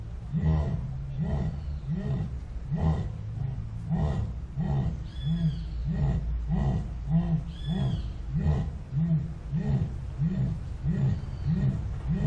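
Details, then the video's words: Jaguar (Panthera onca) producing a steady sawing series of low, coarse grunts, about one and a half per second, regular and hoarse, with faint higher chirping sounds in the background. "Som de Onça Pintada / Jaguar"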